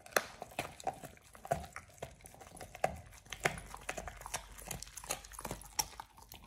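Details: Oliang the Pit Bull gnaws his first raw ostrich paw, a snack for teeth polishing. Crisp clicks and crunches repeat steadily, with a bright, crackly edge and some rustling.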